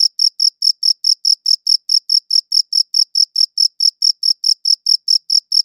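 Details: Crisp cricket chirps, evenly spaced, roughly four to five per second, each a short bright trill-like pulse at high pitch, recorded with a good audio recorder in otherwise complete quiet.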